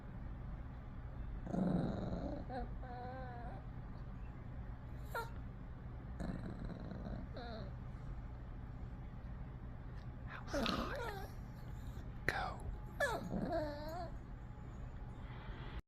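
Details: Pet dog named Sunny making a noise on cue: short wavering, warbling whine-like vocal bursts around 2–3 s, 7 s and 10–14 s, with a low steady hum beneath and a person's voice giving sit commands and praising 'good boy'.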